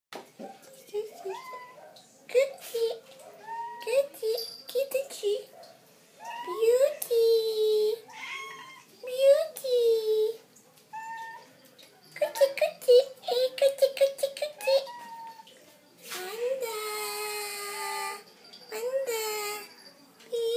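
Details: Persian and Siamese cats waiting for their food, a busy stream of overlapping meows: short chirpy calls mixed with longer drawn-out wails, some bending up then falling, others rising sharply at the end, with brief pauses between bursts.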